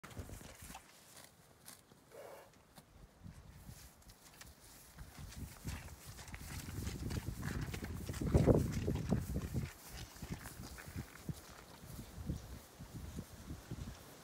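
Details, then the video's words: Quarter Horses on a Colorado ranch walking across a pasture to the barn; soft, uneven hoof thuds and clicks at a walking pace, with a dull low rumble in the background. "Horses Quarter Horses on a Ranch in a Pasture Walking to the Barn"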